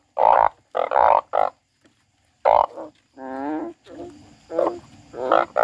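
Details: A frog cries in short, loud, raspy blasts in quick groups, then a drawn-out wavering wail followed by softer, fainter cries fading toward the end.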